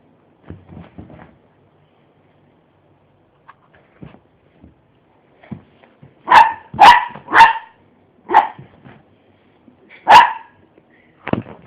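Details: Miniature pinscher playing wildly on a bed, giving a burst of sharp barks around the middle, about six loud yaps in quick irregular succession after softer low rustling and snuffling sounds.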